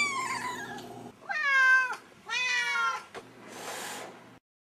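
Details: Two domestic cats, filmed as kittens and adults over six months, meowing: drawn-out harmonic meows rising then falling, three clear calls with a softer breathy sound near the end, indoors.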